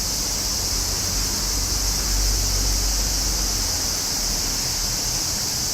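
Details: Summer cicada chorus as a constant high-pitched hiss, joined by a deeper rushing rumble that swells briefly in the middle.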